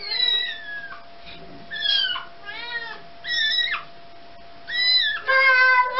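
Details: Indoor domestic cat trying to take its kitten back from a baby: a busy series of high, wavering meows, some rising then falling, several quick ones in a row, the last one longer and louder, over a faint hum.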